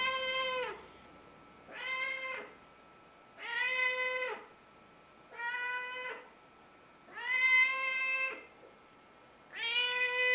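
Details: Loud house cat meowing while walking up and down the hallway every morning: six long, drawn-out, level meows, each close to a second long, repeated about every two seconds in a quiet indoor space.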